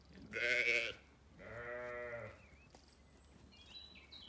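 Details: Sheep, ewes and lambs in a sunny orchard on a Kilkenny farm in Ireland; two bleats, a bright high one then a longer lower quavering one, followed by clear whistled birdsong in the background.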